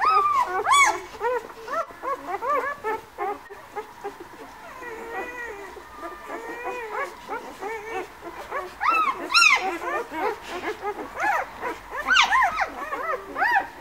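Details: White Swiss Shepherd puppies of a litter born 11 August at a kennel, softer overlapping whines and squeaks with occasional louder yelps, a busy chorus of small arched cries.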